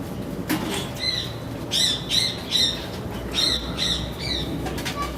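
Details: Capybara met at a mobile zoo, giving bird-like twittering squeaks: a series of bright, high, slightly wavering chirps repeated roughly every half second, with faint background murmur.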